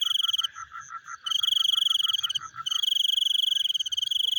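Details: Frogs at night, in what is described as chewing, with rapid pulsed notes under a steady high, ringing trill; frog.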